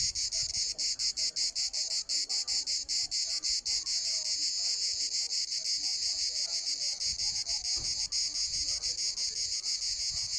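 A cicada gives a loud, high, unbroken buzz, pulsing rapidly at first before settling into a steady drone.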